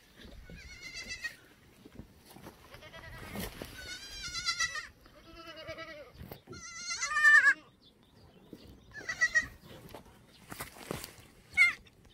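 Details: Korean black goats, free-ranging on a farm's exercise yard on the slope of Muchuksan, Yeocha-ri, Sangdong-myeon, Gimhae, South Gyeongsang, on a clear Wednesday morning, 13 May 2020; about seven loud quavering bleats, several overlapping, some high and wavering, with quiet pauses between.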